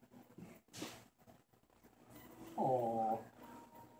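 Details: A pet kitten indoors gives a single clear, tonal meow lasting about half a second near the end, after scattered soft rustling and handling noises.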